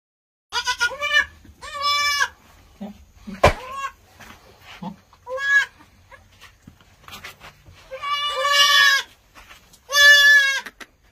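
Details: Kalahari Red goats, a breed originating from South Africa, bleating in loud, harmonic-rich, wavering bursts about a second long, several in sequence with short gaps, plus a sharp knock and faint low rumble between calls.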